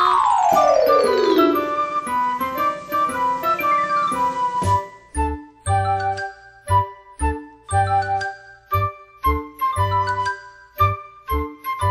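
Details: Tinkling chime-like music opens with a falling glissando, then bell and flute notes sound in bouncy, repeated beats, with no animal voice.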